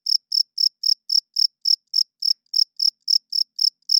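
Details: Male cricket chirping at night, wings rubbed together to attract females and establish territory; clean, high-pitched pulsed chirps repeated about four times per second in an even series, with no other sounds.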